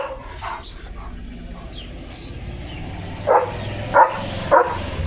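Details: German Shepherd named Leo barking at the start of his day: three short, sharp barks about half a second apart in the last two seconds, after a quiet stretch of low background hum.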